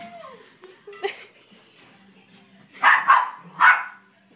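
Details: Eight-month-old Havanese puppy barking during excited play indoors: a few faint whines, then three sharp yappy barks in quick succession near the end, with quiet human voices between.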